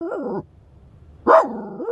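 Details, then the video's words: Shiba Inu barking because a stranger walks too close to the car; two harmonic, yodel-like barks with arching pitch, separated by a short pause. "Shiba Inu barking, not happy with stranger walking too close to car"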